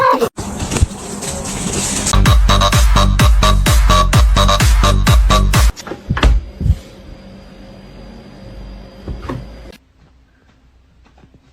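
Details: Electronic dance music with a pounding beat breaks off midway, leaving quiet hum and faint clicks.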